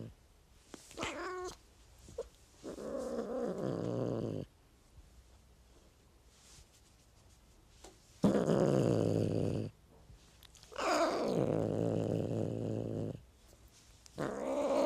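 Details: House cat uttering a series of long, drawn-out, whiny meows with rough, growly edges, separated by short silences and ending with a fresh rising cry.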